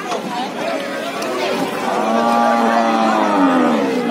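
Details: Cattle being unloaded onto the bank from a stranded trawler. A drawn-out, harmonic moo swells in the second half over steady crowd chatter and voices.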